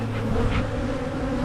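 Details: Short burst of honey bee hum from an opened Michigan hive during splitting, low and rumbling with a steady buzzing drone and a brief brighter rustle partway through.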